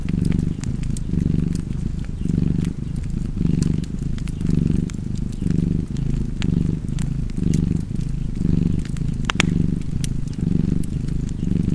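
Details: A cozy cat's continuous low purr, pulsing in about eleven regular swells roughly a second apart, while a fireplace crackles and pops in the background.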